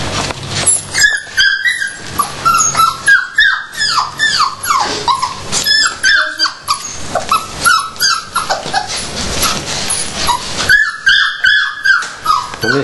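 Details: Excited dogs at feeding time produce a dense chorus of sharp yips, whines and short barks, about two to three per second and overlapping, with brief quieter gaps and some indoor clatter.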